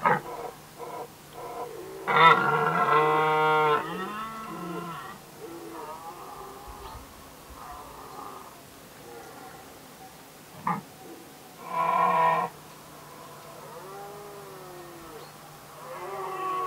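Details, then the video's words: Red deer stags in Västmanland, Sweden, in 2010, settling a dispute over hinds: loud, rough, harmonic roars in bursts, strongest near the start and again briefly later, with quieter grunting calls and pauses between. "KRONHJORTAR Red Deer (Cervus elaphus)"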